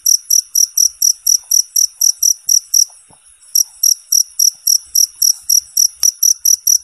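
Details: A cricket for training competition songbirds sings clean, high chirps at about four per second, breaking off for half a second near the three-second mark before resuming, one faint click later.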